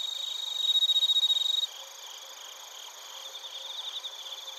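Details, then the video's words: Crickets and bell crickets from Narita, Chiba, Japan on a TASCAM Portacapture X8: a loud burst of fast pulsed chirps stops abruptly after about a second and a half, leaving a softer shimmering chorus with faint chirps. "スズムシとコオロギの鳴き声 - Chirping of crickets"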